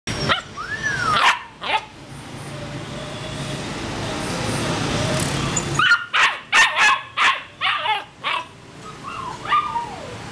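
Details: A purebred male Rottweiler in Saigon gives a quick run of sharp barks, with a few high whines before and after.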